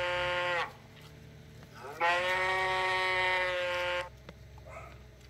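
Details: Cow mooing: a short harmonic moo that breaks off, then a long steady moo of about two seconds with rich stacked harmonics, over a faint low hum.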